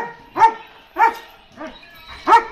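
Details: Adult male German Shepherd in Ajmer barking aggressively at a visitor; four loud sharp barks spaced about every 0.6 seconds, with quiet gaps between.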